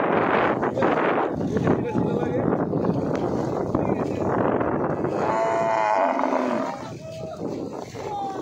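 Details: Buffalo calls cutting through heavy crowd noise and talking: a drawn-out, tonal lowing note arrives late in the clip, followed by a couple of shorter, quieter moans as the chatter fades.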